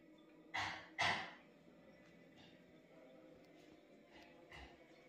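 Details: Mother cat Chloe, a house cat turned fierce after giving birth, defending her kitten from the other animals at home: two short, harsh, breathy hisses close together near the start, then quieter faint noises in a still room.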